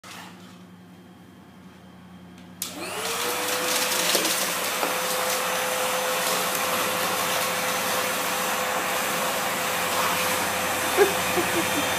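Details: A vacuum cleaner starts after a quiet opening and runs as a steady roar through the rest, with a faint tone in the background.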